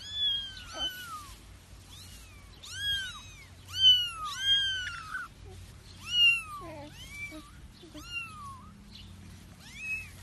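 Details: Domestic cat meowing repeatedly: a series of loud, tonal, arching meows, some drawn out and wavering, several rising then falling, about eight calls in ten seconds with brief pauses, over a low steady hum.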